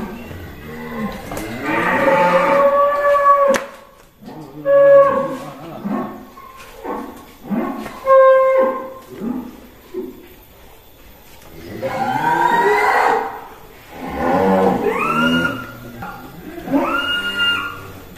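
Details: Huge bull Si Plonco of Kelonthong Farm, coming out of its stall, lets out several long, wavering, harmonic moos with pauses between them, rising and falling in pitch, with faint background voices.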